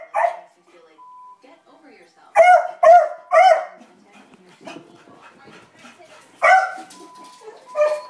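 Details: Beagle Libby reacting to dogs across the street: three sharp barks in quick succession, then quieter murmuring and a single later bark, with a faint steady tone and a woman's voice in the background.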